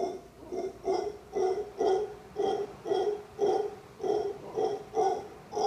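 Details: A male howler monkey sits in the crook of a tree outside a resort room in Costa Rica. It gives deep, hoarse, grunting pulses, roughly two per second, in a steady rhythm.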